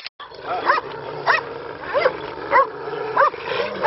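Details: Kangal, an Anatolian Shepherd Dog, held on a strap by handlers and giving a steady series of short, mid-pitched barks about every two-thirds of a second over a low murmur of background noise.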